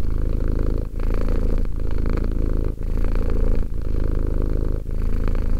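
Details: Romek, a two-year-old cat, gives a continuous low purr; the rumble pauses briefly about once a second at each breath turn, otherwise even and unbroken.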